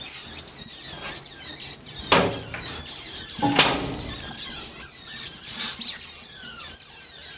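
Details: Asian small-clawed otter pups, eight days old (born 12 October 2014, recorded 20 October 2014), in the non-public backyard of Fukuoka City Zoo, Japan, carried about by older siblings: dense, high, squeaky chorus of overlapping chirps and squeals with lower thuds and knocks.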